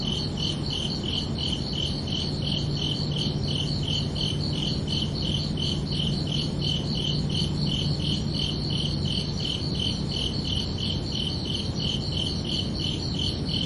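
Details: Crickets calling at night in a continuous stream of shrill, evenly spaced chirps, near three per second, layered on dull low background noise and a faint intermittent hum.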